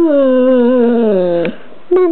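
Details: Chex, an American Bulldog, 'talking' in a long, tonal, moaning whine that holds mid pitch and sags lower. After a brief break a second whine begins at a slightly higher pitch.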